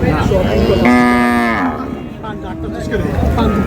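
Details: At Raniganj cattle market in Dinajpur, where thin cows are sold in pairs, one loud, harmonic moo rises sharply, holds steady, then drops away. It lasts under a second, framed by bargaining voices and market murmur.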